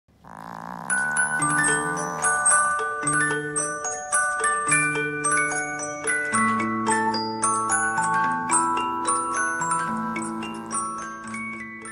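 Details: A bright glockenspiel melody with chiming mallet notes plays throughout, and no snoring or other animal sound is heard.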